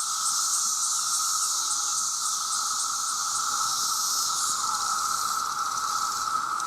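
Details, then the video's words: Dense chorus of countless male cicadas calling for mates, loud enough to harm hearing: a steady unbroken mid-pitched drone overlaid by a higher, hissing shimmer that pulses faintly throughout. "The Sound of The Cicada"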